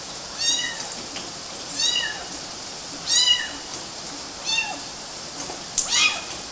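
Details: Kittens climbing on mosquito nets in Galati, Romania, in June 2012, giving high, thin meows that arch up and fall, about five calls spread unevenly over several seconds, with a faint steady hiss behind.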